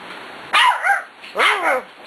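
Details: Six-week-old puppy at play, two sharp high yappy barks about a second apart, each bending downward in pitch, close and loud, with a quiet room behind.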